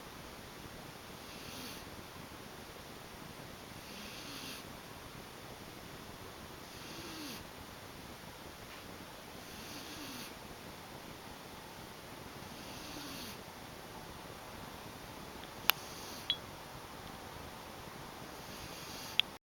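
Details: Domestic cat asleep, gentle rasping snores recurring roughly every three seconds, with a few faint clicks near the end against a constant room hiss.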